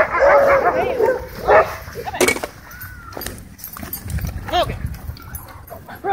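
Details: Dogs playing at a dog park: a loud, tonal yipping bark opens, followed by a sharp bark near the middle and further bouncy yelps, over a low rumble of background noise and voices.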